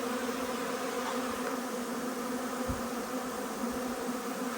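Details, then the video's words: Honey bee swarm arriving, heard as a continuous thick drone of many wings, even and unbroken, with a brief low thump near the middle. "Huge swarm arrives, magnificent as always!"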